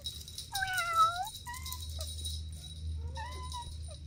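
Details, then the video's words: Kittens at play with their mother and two siblings: one long, slightly arching meow, followed by two shorter, softer mews and a low rumbling background. "Relaxing Cat Video 4K: Sweet Kittens Playing Together | Soft Meows & Calm Nature"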